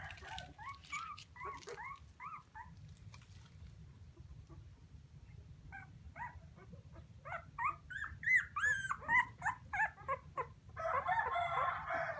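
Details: Puppies crying for their mother: rapid overlapping high whimpers and yelps, sparse at first, then denser and louder toward the end, several every second, over a low constant hum and a burst of rough noise at the close.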